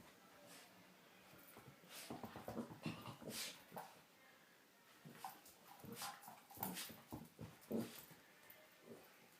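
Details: Female Miniature Pinscher playing with her toy indoors, giving soft whiny whimpers and short yips scattered among rustling and tapping play noises, fairly quiet overall.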